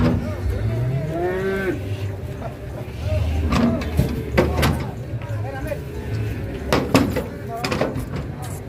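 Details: Large cattle being loaded onto a truck in Indonesia moo with one drawn-out, rising call near the start, set against low engine rumble, metallic clanks and people talking.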